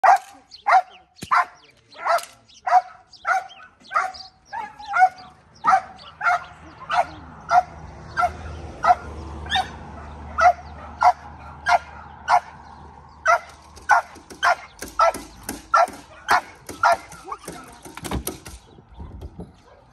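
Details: Belgian Malinois barking during decoy training, a steady run of loud sharp barks, roughly one to two per second for about eighteen seconds, with a low rumbling background midway.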